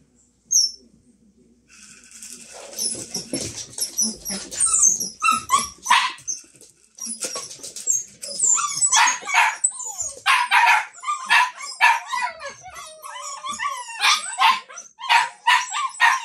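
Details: Samoyed puppies waiting for their dinner: after a short quiet start, a burst of high, thin yelps and squeaky whines overlaps in a rapid, restless chorus, with sharper yips breaking through repeatedly.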